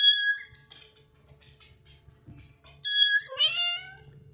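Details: Mother cat with her kitten, said to be protecting it from danger; high, harmonic meows at the start and again near three seconds, with a rising-falling mew after, and faint low rumbling between calls.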